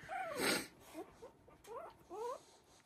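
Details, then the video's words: Havanese puppies, three weeks old, winding down after play in their whelping box; a breathy snort, then several brief arched whines in pairs, soft background hiss. "Havanese Puppies Playing at 3 weeks Old"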